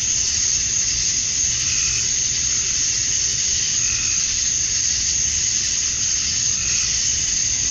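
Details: Summer-dusk chorus of male cicadas in Georgia, USA, calling to attract females: a constant shrill hissing buzz that never breaks, holding an even level throughout, with a faint higher tone surfacing now and then.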